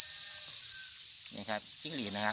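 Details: Farmed crickets raised on a cricket farm, a dense continuous high chirping chorus forming a steady shrill band, with a man's voice speaking briefly over it near the end.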